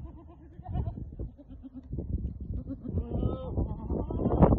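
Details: Trembling goat bleats open the recording from Al-Summan, where six goats with their billy and seven young are for sale, then fade under rumbling wind, shuffling and a drawn-out higher cry.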